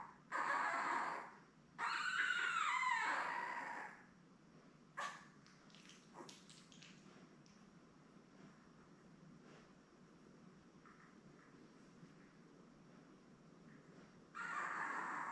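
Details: Indoors on a 3 June puppy cam, seven Labrador Retriever pups born May 24, 2021 to mother Belle let out loud, sustained whines with wobbling pitch, then a long quieter stretch of faint squeaks and shuffling before another whine.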